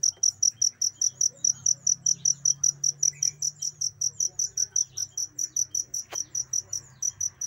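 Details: Cricket sound meant for teaching pet birds. It gives a long run of shrill, evenly spaced chirps, roughly two to three per second, with one short click near the end and soft low hum behind.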